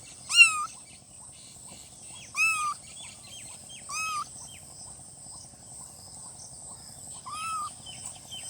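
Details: Newborn kittens mewing: four short, high, arched mews, each rising then dropping, spaced irregularly about two seconds apart, over a steady high-pitched hiss and faint low background rumble.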